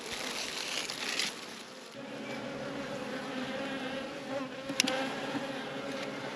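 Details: Honey bees buzzing around an apiary during a hive inspection, a dense steady hum with shifting tones, a brief sharp click near the end.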